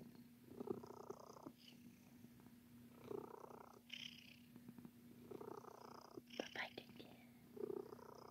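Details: A domestic cat, Sir Titan, kneading in a biscuit-making mood and purring continuously. Rhythmic swelling purr cycles come about every one and a half to two seconds with each breath, with faint soft hissy sounds in between.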